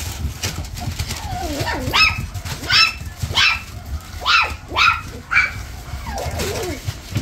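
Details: Toy Poodle with white markings on its chest, yipping in short high bursts about every half second, between thin whining slides that fall and rise, over faint low background rumble.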